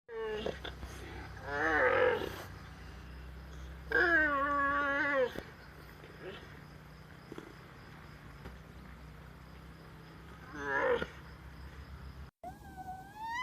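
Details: Alpaca calls: three loud, harmonic, wavering cries near two, four and eleven seconds, each about a second long with quivering pitch, separated by quieter stretches of low background hum.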